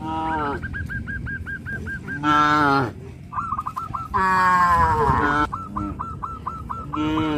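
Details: Village farm cows walking toward green grass fields moo loudly twice, each call rough and harmonic and under a second long. Small birds chirp steadily in a fast repeated series throughout.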